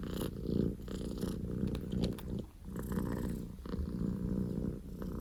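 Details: Loud purring from Poko J, a male Scottish Fold kitten born 15 October 2019, indoors; a steady low rumbling drone runs throughout with brief dips in loudness.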